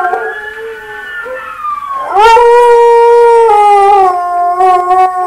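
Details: Buster the pet dog howling at himself: a moderate, slowly falling tone, then a sudden loud rise into a full sustained howl that wavers and dips slightly toward the end.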